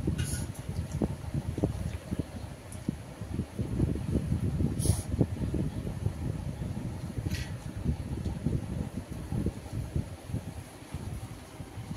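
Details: Low rumbling fan or vehicle-like noise fills the recording, with a few brief high clicks and no animal voice heard.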